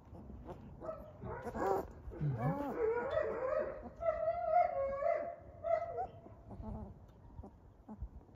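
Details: Three-week-old European German Shepherd puppies at a kennel whine steadily in overlapping, wavering cries that rise and fall. One swooping, lower whine stands out early, with faint rustling underneath throughout.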